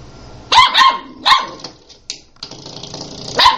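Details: A playful puppy gives a few short, sharp yaps spaced over about three seconds, with quiet rustling between them.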